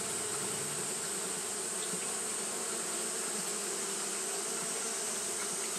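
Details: Fanning Japanese honey bees on a hot day give a level, sustained buzz: a low hum with a ringing overtone band that never pauses, set against a steady high-pitched hiss.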